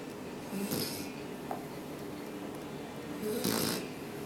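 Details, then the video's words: Roxy, a nine-week-old puppy, snores softly after play indoors, two breathy snore bursts about three seconds apart in a quiet small room. "Baby Roxy snoring after play"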